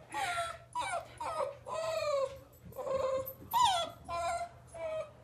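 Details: Greater Swiss Mountain Dog puppy, 7½ weeks old, frustrated while trying to go downstairs, gives about six high, wavering whines and whimpers in five seconds, each drawn out and bending up and down in pitch.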